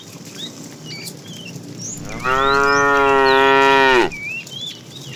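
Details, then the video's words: Calling to the female, a fat tame cow in a herd being driven in the afternoon gives a single long, even bellow that rises slightly, then falls away sharply, over a background of twittering birds. "The funny sound of a fat cow calling the female"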